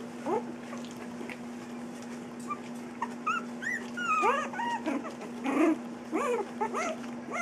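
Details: Three-week-old puppies at play give a busy, irregular run of high whimpers and squeaky yips, each a quick arched rise and fall, several overlapping near the end, over a steady low electrical hum.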